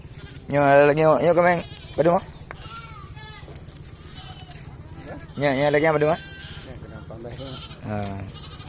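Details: Goats offered for sale in Blangjrun, North Aceh, Indonesia, give loud, shaky bleats in bursts, a doubled cry, a short one, then another strong wavering call and a fainter one, over a low humming background.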